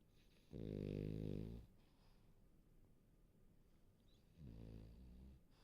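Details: A warm, cozy French Bulldog snores while asleep: two low, rumbling, buzzy snores about a second long, separated by a quiet pause of nearly three seconds.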